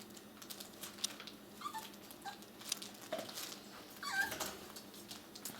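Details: Six-week-old puppies giving brief, high, thin squeaks and whimpers scattered across the clip, then a longer whine that slides upward near the end, over soft shuffling and pattering noises in a small indoor room.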